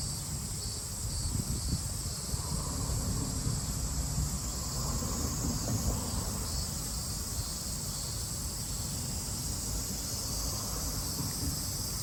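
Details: Cicadas in Japan in summer 2022: a steady, unbroken high shrill drone holds throughout, with a rumble of low background noise beneath it.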